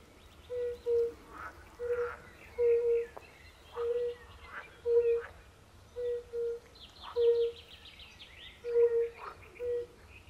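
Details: Forest-pond chorus of European fire-bellied toads with pool frogs: about a dozen gentle, hollow low hoots, often in pairs, steadily repeated, while pool frogs add buzzy, rasping rattles higher up.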